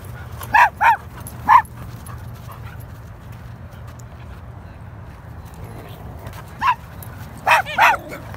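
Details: Miracle, a Standard Poodle, being chased: three sharp, high yips in the first two seconds, a long quiet gap, then three more quick yips near the end over a steady low hum.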